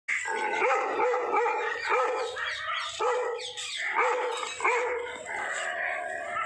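A Bakarwal dog barks repeatedly, deep harsh barks coming in quick rhythmic bursts at a stranger.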